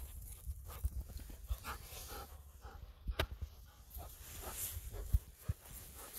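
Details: Golden Retriever named Ibuki running through rice fields under a cloudy winter sky, panting in breathy, broadband huffs in quick succession, over a low rumble of wind and thudding footfalls.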